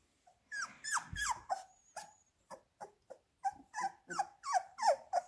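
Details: Hungry Labrador Retriever puppies offered minced beef let out rapid, piercing whines that swoop downward, coming in quick bunches of three or four with one short pause.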